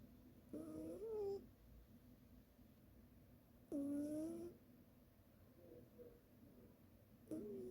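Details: Sleeping cat snoring indoors: three soft nasal snores, each a short tonal wheeze about three seconds apart, against quiet room hum.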